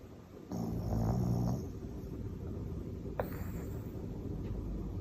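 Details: Sleeping Pekingese dog snoring: one low, rumbling, harmonic snore lasting about a second, followed by quiet breathing and a faint brief click.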